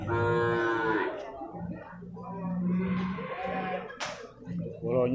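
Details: A young male water buffalo, about one year old, at a Purwakarta market in Indonesia. A strong opening bellow is followed by a longer, lower moan, with voices and music around it.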